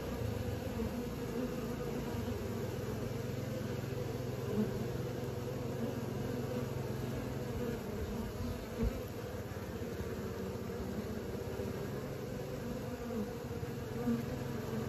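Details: Many honey bees learning to fly create a thick, unbroken buzzing drone over nearly fifteen seconds, deep and steady, with a faint extra low hum in the first half and a soft knock near nine seconds.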